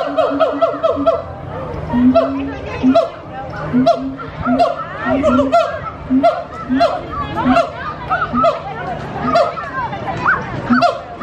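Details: Gibbons at Disney's Animal Kingdom, loud and energetic, hooing and singing: a run of repeated hoots swelling and sweeping upward in pitch, several voices overlapping, with people chattering and laughing nearby.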